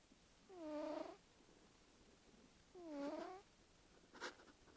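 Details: A sleeping cat making snoring noises, two drawn-out nasal tones each about half a second long, slightly arched in pitch and about two seconds apart, followed by a brief faint rustle.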